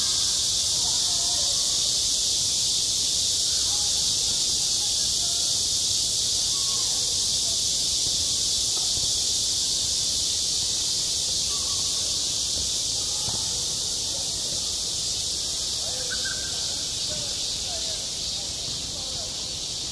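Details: Cicadas calling on a summer school playground: a continuous shrill, buzzing wall of sound, slightly pulsating, that eases a little toward the end, with soft scattered voices far below.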